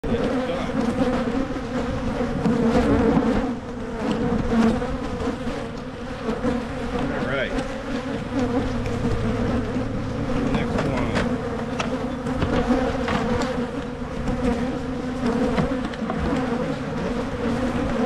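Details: Honey bees at hives in Michigan while a beekeeper splits colonies to head off swarming; dense steady droning buzz with a low hum underneath, loudest early on, plus scattered handling clicks and knocks.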